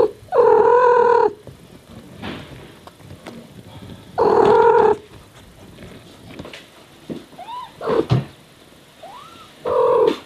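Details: Mother cat Miyu talking to her baby kittens: steady, drawn-out harmonic meows repeated about every four seconds, answered between them by thin, high, rising kitten mews.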